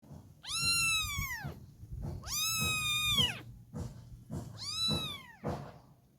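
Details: Kittens meowing: three drawn-out, arching meows, each roughly a second long and separated by short pauses, with faint low room rumble underneath.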